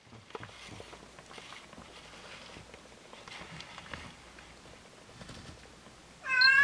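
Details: During the birth of the cat Hodu's litter, when her first kitten Waung-i arrived, a sudden loud, bright meow bursts out at the very end after several seconds of quiet rustling and faint room noise.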